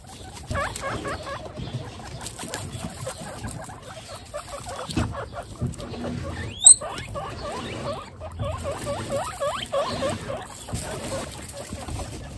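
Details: Several of a household's 29 pet guinea pigs roam while their cage is cleaned, giving short repeated chirpy squeaks and low chuttering, with one brief sharp high squeal midway over steady rustling and shuffling.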